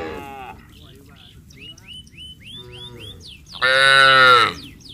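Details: Cattle going down to the paddy fields as a herd in a village, calling to each other: faint sounds at first, then one loud strained moo near the end, with many small birds chirping throughout.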